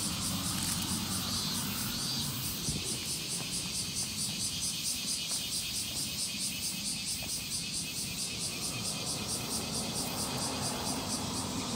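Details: Evening cicada recorded in Japan, its piercing high call pulsing in quick regular beats for the whole stretch, set against a fairly loud low rumble resembling passing vehicles.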